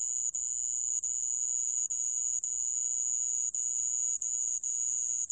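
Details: A sand cricket holds a continuous, thin, high-pitched buzzy trill, broken only by brief pauses about every second; recording from the Korean National Institute of Biological Resources, 2020. Sand cricket.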